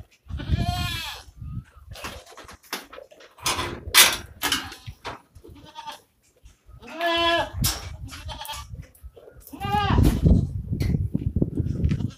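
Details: Osmanabadi goat on a goat farm, bleating in short harmonic cries around one, seven and ten seconds, separated by rustling and low thumping noises.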